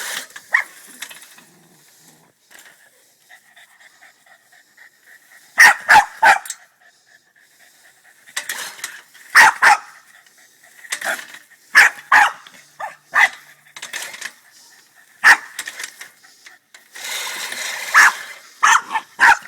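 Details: Male Boston Terrier, angry at a push lawnmower, barks in sharp bursts of several quick barks separated by pauses, with soft panting between the outbursts.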